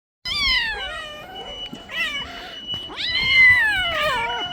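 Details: Mother cat pleading to have her kitten given back: three loud, drawn-out meows, each starting high and sliding down in a rich harmonic wail, the last one longest, with a faint steady electronic tone underneath.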